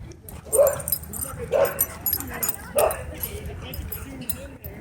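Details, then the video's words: Dog at a dog park threatening to attack someone filming it: three separate sharp barks about a second apart, with faint background noise and little speech in between. "Dog Threatens To Attack Me For Filming At Dog Park"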